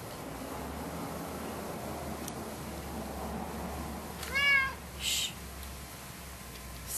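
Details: A 10-year-old orange female cat, indoors, hyper and pestering another cat: one short rising-falling meow, then a faint second sound, against quiet room hum.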